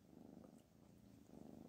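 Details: Black Panther, a pet cat, keeps up a soft, even purr, a low pulsing hum with a slight swell toward the end, while someone tries to write calligraphy.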